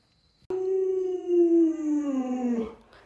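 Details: Alaskan Malamute Luoluo, a pet dog, gives a single sustained howl that starts abruptly, holds a steady tone, then slides gradually lower for about two seconds before fading out.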